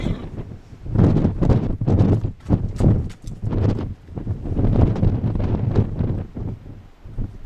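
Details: Purebred Arabian mare running and bucking in her field; deep, rumbling hoofbeats pound in uneven clusters throughout, with some low wind buffeting and no whinnies.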